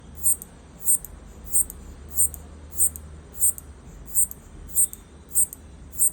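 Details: Locust rubbing pegs on its hind legs against its front wings, said to be communicating with its partner, recorded on an iPhone: sharp high clicks repeated about every half second, eleven in all, over a low steady hum.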